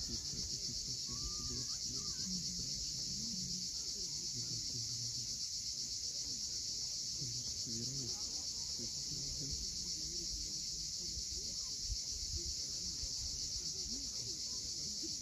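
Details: At sunset on Crimea's steep Cape Fiolent coast, cicadas keep up an unbroken shrill buzz with a quick, even throb. Soft low murmurs and a few faint chirps sit far below it.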